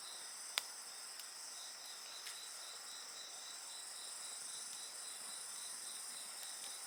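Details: A constant, shrill wash of insect song with a quick rhythmic pulse running through it, a single loud pop from a bonfire near the start and only faint crackling afterwards.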